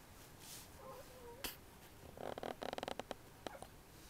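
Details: Red female Poodle puppy, three weeks old and newly able to toddle, gives thin, high squeaks that slide slightly downward near the first second, followed by a burst of quick rattling, clicking noises indoors.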